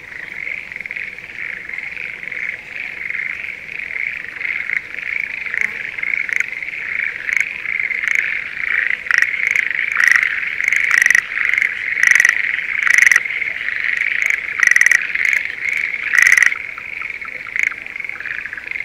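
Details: Spring rice paddy near Sendai, Japan, with breeding Schlegel's green tree frogs: a steady dense trilling chorus throughout, joined midway by a nearer frog's series of sharp pulsed rattles that continue to the end.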